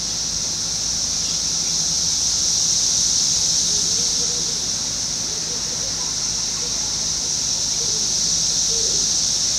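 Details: Periodical cicadas of Brood X, the 17-year brood, fill a wooded residential edge in Fairfield, Ohio, on June 5, 2021. Their unbroken high-pitched whine holds steady throughout, with soft scattered bird chirps beneath.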